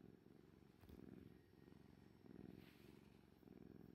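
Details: Purring orange tabby domestic cat: a continuous low throbbing rumble that rises and falls with each breath roughly every 1.2 seconds, plus faint light clicks and rustles.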